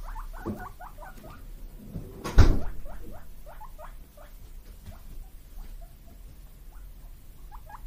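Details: Eager rising squeaks from brother guinea pigs Kotaro and Kinako, house pets born 31 March 2022, begging for vegetables; quick repeated whistles that thin out later, with one sharp knock early on.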